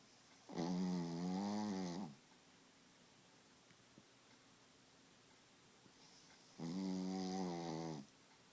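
A Pekingese snores in two long, rasping, buzzy breaths separated by about four seconds of quiet.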